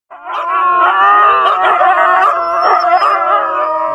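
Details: Siberian Husky sled dogs singing together: several voices howl at once in long, wavering, overlapping tones that rise and fall in pitch, forming a continuous chorus that lasts the full four seconds with no gaps.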